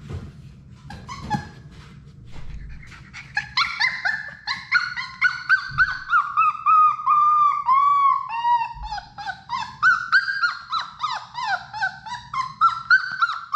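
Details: Six Labrador Retriever puppies playing in their indoor puppy play room, one voicing a long run of high, nasal whines and yelps that slide up and down, rapidly repeated, with a soft low hum underneath.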